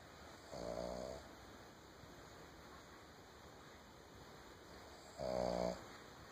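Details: A sleeping female Boston Terrier on a couch gives two rough, vibrating snores roughly four and a half seconds apart, each lasting under a second, against a quiet indoor background.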